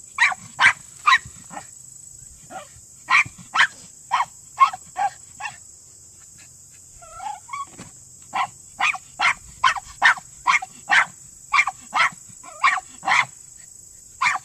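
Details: Male Miniature Pinscher working a Senior Earthdog leg underground, 10 seconds to the quarry; persistent sharp high barks in fast runs, a short quieter whine-like gap midway, then steady barking about twice a second over hiss.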